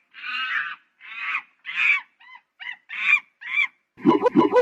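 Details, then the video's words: Monkey producing a few drawn-out nasal honks, then short clipped chirps, and ending in a rough, low, pulsed chattering burst. "Monkey Funny Sound"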